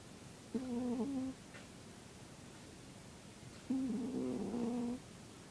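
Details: Zebbie the cat snoring: two tonal, nasal, slightly wavering hums, each about a second long, separated by a quiet gap of roughly two and a half seconds, in a still indoor setting.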